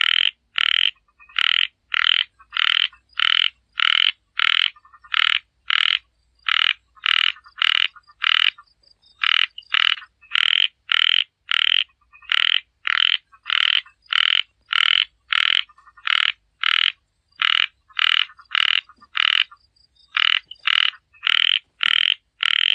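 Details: Frog calling in a long run of loud, rasping croaks, about two per second, grouped in short bursts with brief pauses. The calls are clear and close, over a quiet background.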